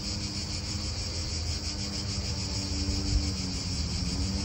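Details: High, even cicada buzz pulsing without pause in an Italian park, with a low hum, soft wind and distant car noise underneath.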